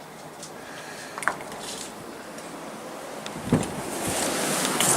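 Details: Snowstorm wind roars steadily and grows louder toward the end, with a few sharp knocks and brief rustles; no animal voice is heard.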